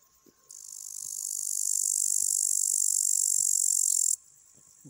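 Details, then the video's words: Male upland green bush-cricket (Tettigonia cantans) sitting on a twig, singing a continuous high-pitched stridulating buzz of rapid pulses that swells in loudness and stops abruptly after about three and a half seconds, with faint rustling before and after. "Певчий кузнечик (Tettigonia cantans) поёт. Хотя правильнее- стрекочет"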